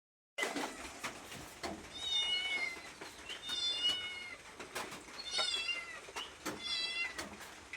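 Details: Domestic cat meowing to ask for food: several high, bright meows, some rising then falling, repeated roughly every one to two seconds, with clicks and knocks between calls indoors.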